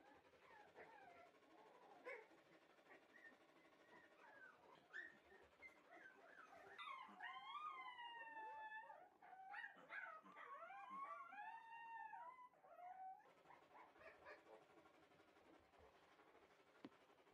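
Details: Red male Shiba Inu puppy giving quiet, thin high whimpers and short yelping whines, rising and falling, clustered in a burst midway, with soft background rustling.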